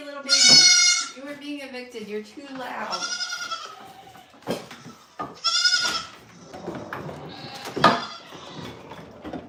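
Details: Farm goat at The Willful Goat Farm & Home giving loud, wavering, nasal bleats, three or four separate cries spread over the stretch, with people talking between and over them.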